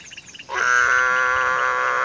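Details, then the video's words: Mueller's termite frog (Dermatonotus muelleri) calling to mate in a pond during the breeding season while a pair lays eggs. After a faint half-second start, a loud, steady, nasal, harmonic drone begins and holds without a break to the end. "TOAD COAXING IN THE POND (DERMATONOTUS MUELLERI) BREEDING SEASON"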